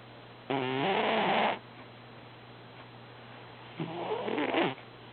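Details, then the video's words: Sleeping domestic cat snoring while actively dreaming, heard as two rough, harmonic bursts about a second long, the first louder with a wavering tone and the second softer and falling, over a faint constant low hum. "snoring cat"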